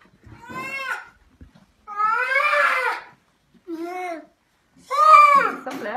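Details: Hungry grey seal in rescue care; four drawn-out, wavering wailing cries, each rising then sagging, separated by short pauses, with a person remarking on how loud it is.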